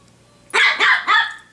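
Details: Pomeranian playing with her owner and a hair clip indoors gives three quick, high, sharp barks in succession, each loud and rough, with quiet room noise before.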